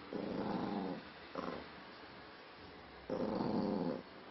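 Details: Angry Maltese dog named Spiky giving low, throaty growls indoors: a sustained rumble of about a second, a brief snarl, then another second-long growl after a pause.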